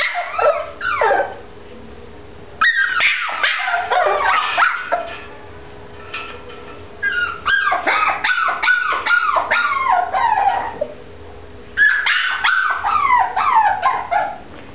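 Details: A brown short-haired teckel, or dachshund, lets out bursts of sharp yips and sliding, whiny howls, falling quiet briefly between three main outbursts.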